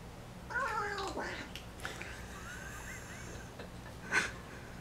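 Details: Folded-ear American Shorthair kitten at home in Taiwan, on its first day and during its first meal, making odd noises while eating: a wavering harmonic mewl, then soft clicks and smacks, and a short sharp note near the end.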